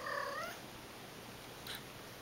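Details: During a play session with toys, the cat Aki opens with a brief rising, trilled chirp, followed by a faint click against steady indoor hiss.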